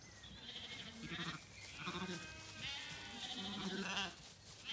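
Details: Zwartbles lambs bleating in an orchard on a County Kilkenny farm, Ireland, on a warm evening walk with dogs. Short, harmonic bleats come in bursts, with thin, high birdsong threading above them.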